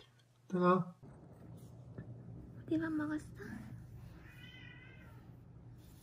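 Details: Rescued stray cats, a mother and daughter who lived seven years in Haeundae, Busan, South Korea, with bones broken in a traffic accident that healed unset: two short meows, the first loud and tonal, the second briefer, over a low indoor hum with some voices.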